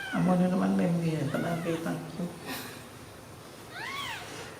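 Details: Newborn baby kittens sleeping together after milk give short, high, arching mews, one partway through and a clearer one near the end, while a person talks steadily in Khmer over the first half.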